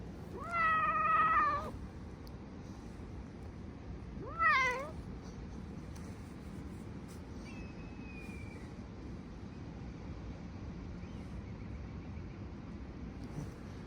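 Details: Stray cat giving two clear meows, the first drawn out for about a second, the second shorter and rising, over steady low background rumble with a faint whistle-like tone afterwards.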